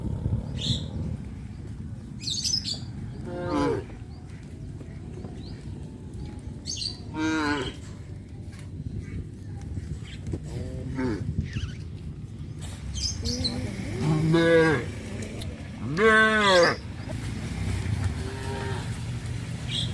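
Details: Several cows roaming a village's residential areas at rice planting time moo repeatedly: short calls spaced a few seconds apart, then louder, longer overlapping moos toward the end, with light chirping and low background rumble throughout.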